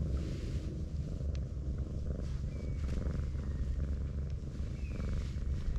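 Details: Brown tabby cat rolling up like an armadillo under a stroking hand, purring in a steady low rumble, with faint high chirps audible in the background.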